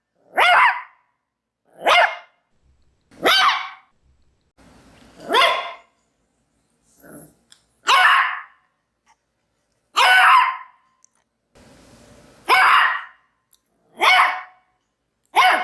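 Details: Barking Maltese dog: loud, rasping, slightly drawn-out barks every one to two seconds, about ten in all, separated by brief quiet gaps with faint low rumbles.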